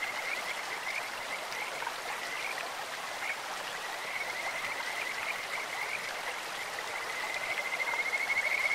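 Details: Along a clear stream, Kajika frogs chirp in scattered short notes that build into a sustained, bright trill toward the end, sounding like birds or insects, over a steady babble of flowing water.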